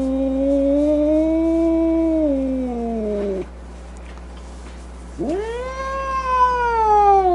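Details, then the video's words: Two long angry yowls from a domestic cat, split by a pause of about two seconds. The first wavers then falls away, and the second rises sharply before sinking slowly. A faint low hum runs underneath. "Cat Angry Sounds | Cat Snarling, Cat Hissing, Cat Moaning | Angry Cat Sounds"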